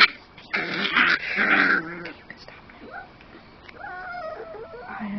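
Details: A grouchy 9-week-old male Miniature Pinscher puppy fights having his harness removed: a loud, raspy snarl-growl for over a second, then thin, wavering high whines and cries trailing off, while a person repeats calming words.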